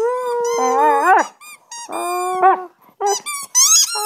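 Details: Husky howling and singing while her owner makes sounds to encourage her, 25 November 2010: wavering harmonic tones that bend upward and break off, followed by short rising yelps and squeaky notes in uneven bursts.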